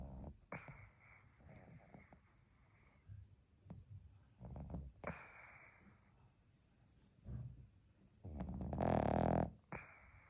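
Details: Pekingese dog asleep and snoring: several short snuffling breaths followed by a long, loud rasping snore near the end.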